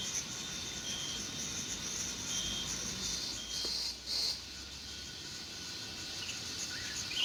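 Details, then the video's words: Crickets and insects in a summer meadow in June; a continuous high insect hiss with faint chirps, brief short bird-like notes, and a short disturbance midway. "Sounds of Summer: Sleep and Relaxation Nature Sounds, Crickets, and Insects - A meadow in June"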